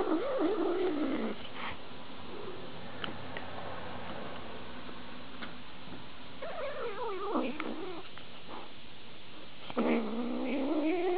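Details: Pet cat in a compilation of cat fails, uttering three separate meows: a falling cry at the start, a wavering one midway, and a rising-falling cry at the end, with quiet room noise and clicks between.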